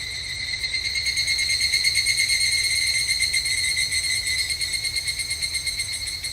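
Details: Higurashi, the evening cicada, calling in summer at a Japanese temple: a bright, rapidly throbbing metallic ring that keeps a rippling rhythm throughout, briefly peaking near the two-second mark.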